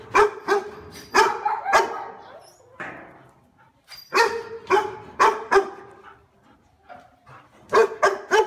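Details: A powerful, deep-voiced dog guarding the house barks in irregular bursts of two to four loud, ringing woofs, with a brief pause near the middle before barking resumes.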